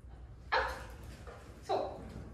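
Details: Tete, a mixed-breed pet dog, during indoor training on a knee-up trick: two short, sharp yips about a second apart, with a quiet room between them.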